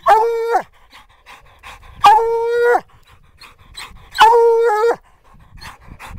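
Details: Black and Tan Coonhound at a den tree with a raccoon inside, giving three long, steady, ringing bawls about two seconds apart, each ending in a slight falling break, with quiet outdoor background between.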